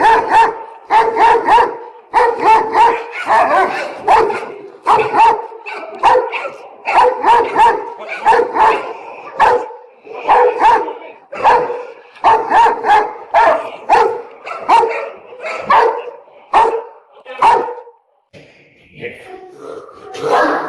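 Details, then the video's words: Angry Doberman dog barking in a rapid, steady series of deep, forceful barks, roughly two or three per second, keeping up the volley for most of the recording before it breaks into a few scattered, fainter sounds. "Doberman Dog Barking Sound Effect (Part 3 - Doberman Angry)"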